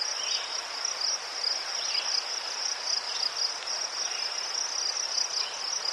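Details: A chorus of crickets in Ukraine, recorded by chrysanthemums: a high, beaded trill that pulses evenly, plus occasional fainter lower chirps rising and falling in the background.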